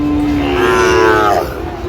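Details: Sahiwal bull calf at Raniganj cattle market in Cumilla, Bangladesh, on a Thursday, 13 November 2025; a single drawn-out moo, level at first then swelling and bending upward before fading, about a second long, over low market background noise.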